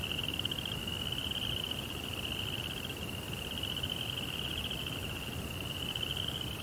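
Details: Night crickets in a Japanese Zen garden with a koi pond give an unbroken, high, finely pulsed trill that swells slightly in places, set against a constant low background hum.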